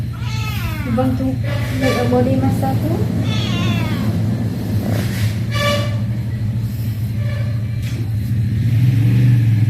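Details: Pet cats being massaged and played with give several wavering, high harmonic meows over a steady low droning hum, with a person talking in Khmer throughout.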